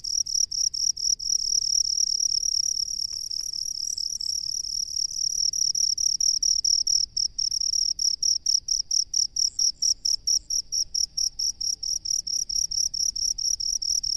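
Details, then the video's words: Cricket living in rice fields, sounding a shrill high-pitched chirping made of rapid pulses, at first in short separated bursts, later running almost unbroken, with a quiet low rumble beneath. "SUARA JANGKRIK PENGHUNI SAWAH"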